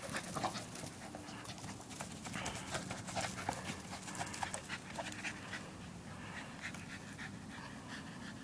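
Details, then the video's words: Quiet, fast panting from Casper, a West Highland White Terrier chasing a basketball, with soft rhythmic scuffles and clatter of play underneath; no voices close by. "Dog Playing With Basketball"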